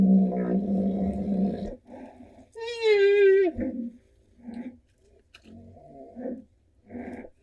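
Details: Two rhinoceroses sparring, squeaking while they fight: one drawn-out tonal squeak that wavers and drops at the end, among lower rumbling, grunting sounds and short bursts of noise from the clash.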